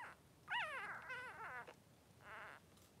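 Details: Newborn Blenheim Cavalier King Charles Spaniel puppy, three days old, one of two boys in a whelping pen with mother Pom-Pom, gives a loud wavering squeal that rises then slides down, followed by two shorter whining cries.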